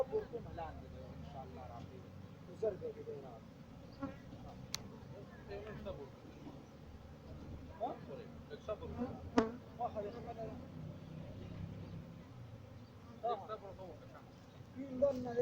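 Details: Farmed honey bees in Pakistan giving a continuous low drone of many wings, a dense hum that wavers in strength, broken by scattered sharp taps and short bright clicks near the hives.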